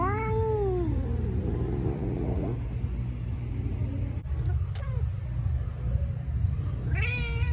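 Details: Talkative young male orange rescue cat, up for adoption at a shelter in Pasadena, California, gives a long falling meow, then quieter murmurs, and ends with a rising meow over a steady low mechanical hum.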